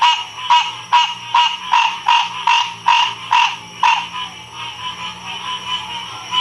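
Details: Frog chorus recorded in 2016 at Ocean Springs, Mississippi: rapid pulsed croaks repeat about every half second through the first four seconds, then soften into quieter, overlapping calls, with a steady high insect-like hum beneath.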